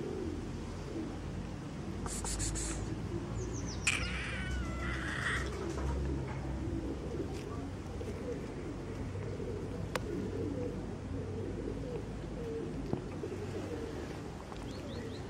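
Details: A fluffy kitten meows, purrs and plays with fingers; one short wavering meow rises and falls near the four-second mark over a steady low rumble, with a few sharp handling clicks.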